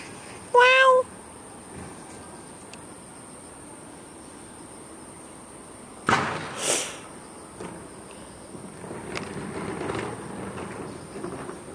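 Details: One of two cats walked in a garden in Beijing in the early morning of 13 August 2013; a single brief, clear meow with stacked harmonics near the start, later a sharp clatter and soft rustling outdoors.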